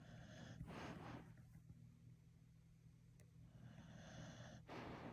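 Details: A sleeping dog snores softly and makes dreaming noises, with breathy, snuffling bursts over a steady low hum.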